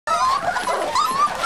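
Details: Seven-week-old Olde English Bulldogge puppies whimpering, a continuous high whiny tone with rising slurred wavers, friendly pups kept together.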